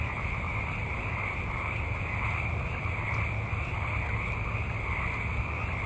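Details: Many frogs calling at night in a forest: a dense, steady frog chorus forming a continuous high hum, with a low rumbling background throughout.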